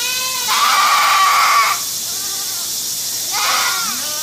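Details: Domestic goat giving a long, quavering bleat of about a second, then a quieter pause and a second, shorter bleat with a wavering pitch. A constant hiss sits underneath.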